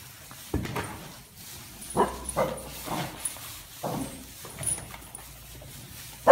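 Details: Welsh corgi herding cows, fearless around them; short soft barks and yips repeated at irregular intervals about every second, with faint rustling in the background.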